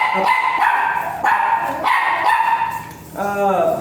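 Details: Dog whimpering at a veterinary clinic in Mapandan during an artificial insemination session for a virgin dam and sire: repeated high whines about every half second, then a wavering, falling cry, with people talking in the room.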